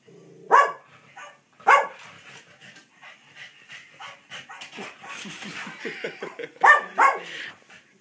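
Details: Cavalier King Charles Spaniel barking back at a recording of his own barking: sharp single barks at the start, then a stretch of softer yips and huffs, and two more loud barks near the end.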